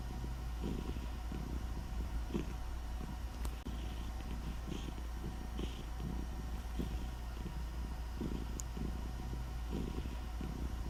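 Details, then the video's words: Purring from Nutty, a cat, a quiet low rumble rising and fading in regular breath-paced bursts about every half second, with a constant deep background hum and faint clicks. "Nutty purring"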